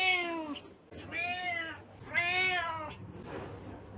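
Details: Domestic cat meowing: three clear, drawn-out, tonal meows, each rising then falling, spaced about a second apart, followed by a softer, breathy sound at the end in a quiet indoor setting.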